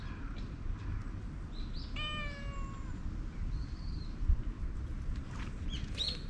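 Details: Calico cat's sweet mewing draws a black cat over; one clear, rich meow near two seconds, sliding slightly downward, followed by fainter chirpy calls, over a steady low outdoor rumble.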